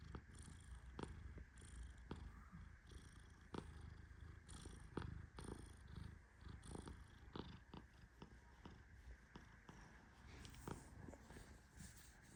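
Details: Tehran, a Persian cat napping as a hand pets him, snores with a low continuous rumble and repeated hissy inhalations every second or two, dotted with small sharp ticks.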